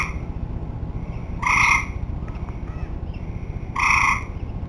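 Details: End-of-summer tree frogs: two loud, grating, nasal honks about two seconds apart, faint softer calls between them, and a steady low rumble underneath.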